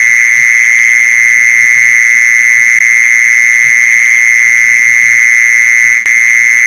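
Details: Unbroken buzzing song of a mole cricket, a sound used to lure these insects: a loud, even, high-pitched whirr that never pauses, with a short click near the end and faint low background noise.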